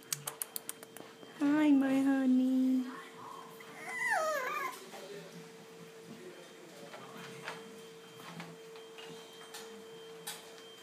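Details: French Bulldog puppies at playtime: a steady, high, nasal whine held about one and a half seconds, then a shorter whimper sliding downward, over a constant electrical hum with a few light tapping clicks at the start.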